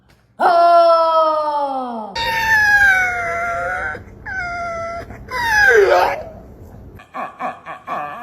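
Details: Dog making strange noises indoors: drawn-out, strongly tonal whining howls sliding slowly downward, then higher wavering cries and a falling yelp, ending with short choppy rhythmic sounds; abrupt cuts between sections.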